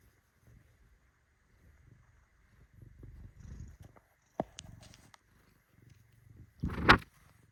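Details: Bengal cat named Shintaro, kneading while purring: soft low rumbling purr in bursts through the first seconds, a brief click, then one loud short harmonic meow near the end.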